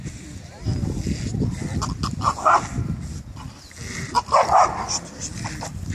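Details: Male dogs at a dog show at Førde Camping, Norway, on 28 April: two short bursts of barking, about two seconds apart, rise over steady chatter from a crowd of people and low outdoor rumble.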